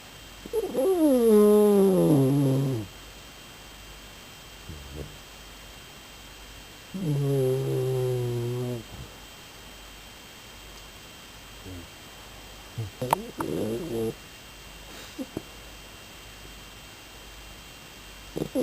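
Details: Sleeping Shiba Inu snoring: two long drawn-out snores, each about two seconds, with layered tonal overtones sliding downward in pitch, separated by quiet breathing and a few soft clicks and rustles.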